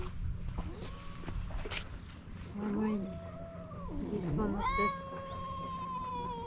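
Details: Two hostile male cats by the sea in Istanbul: scattered low growly moans amid background noise and voices, ending in a clearer, rising then sustained high-pitched yowl.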